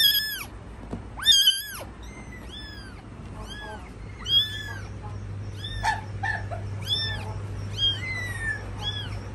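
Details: Mother cat caring for her kittens: several bright, harmonic mews overlap and follow one another closely, some loud and long, others thinner and softer, with a steady low hum beneath.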